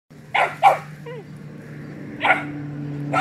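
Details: Two young mixed-breed working dog puppies bark at a young rooster they try to round up. Two quick sharp barks, a short pause, then another bark and a final clipped one, over a steady low electrical hum.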